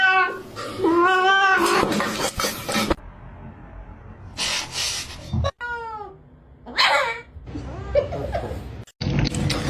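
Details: Pet cats in a home compilation, giving several short harmonic meows with rising and falling pitch, broken up by music, laughter, screaming and people talking.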